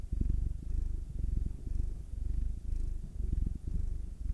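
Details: Soft, deep purring from house cats being rubbed, Will, a black male aged nine, and Anzu, a female tortoiseshell Munchkin aged two; quiet rhythmic rumble rising and falling in quick breath cycles.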